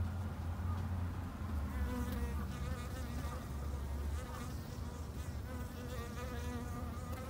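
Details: Japanese honey bees kept by a garden beekeeper in Japan: a dense, continuous low hum of many wings, with overlapping gliding higher buzzing tones from individual bees passing close.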